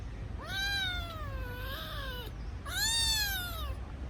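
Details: A kitten missing its mother cries with two long drawn-out meows, the first wavering and falling, the second rising then sliding down, against a low constant hum.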